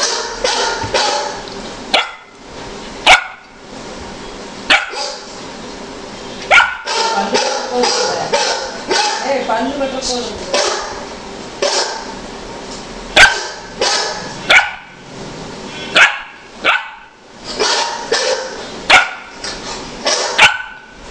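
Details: A Golden Retriever barking at a dog on a computer screen gives loud, abrupt barks in irregular runs, some single and some doubled, while people talk underneath and between the barks.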